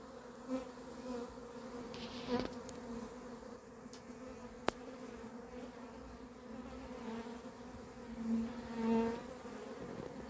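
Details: Honey bees streaming into hive H on 28 April 2026 in a frenzied swarm their keeper says went crazy; a constant buzzing drone with swelling and fading louder passes of nearby bees, and one sharp click.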